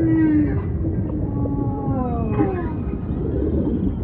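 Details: Humpback whale song with a bright tone at the start, then several long, gently falling moans layered together, set against steady deep ocean noise.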